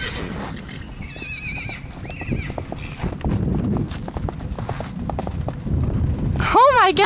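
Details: A Hanoverian x Welsh horse, foaled 2008; steady hoof clip-clops and thuds through most of the recording, ending in a loud, quavering whinny with rising and falling harmonics.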